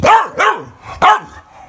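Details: English Bulldog pet throwing a fit when not played with, giving three short yowling barks, each bending up then down like a moan, the third after a brief pause, indoors.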